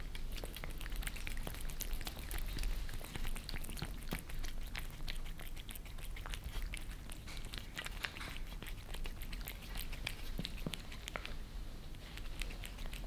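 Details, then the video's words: Indoors in Germany, two cats, a Maine Coon named Lissy and a British Shorthair named Fritz, lick creamy treats from glass, captured from underneath; a long run of crisp, irregular wet smacks and taps continues throughout. "Cats licking creamy treats on glass table"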